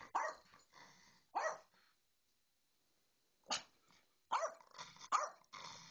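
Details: Short bursts of yappy dog barks beside a Bedlington Terrier paying no attention to a little Yorkie: two quick barks, a silent gap of about two seconds, then a tighter cluster of three or four.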